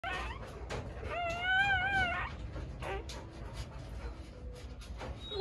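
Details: An Akita gives a thin, high whimper that wavers up and then down over about a second, during a birth while being helped to deliver puppies.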